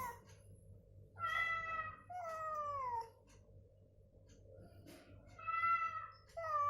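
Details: Cats calling back and forth, deliberately provoked with cat sounds during recovery so they move and vocalise; long drawn meows, each about a second, falling in pitch, answered after pauses, over a steady low hum.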